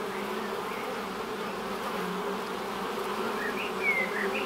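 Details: Honey bees flying at the entrance of their hive produce a constant low droning hum; toward the end a short thin bird whistle rises above the buzz.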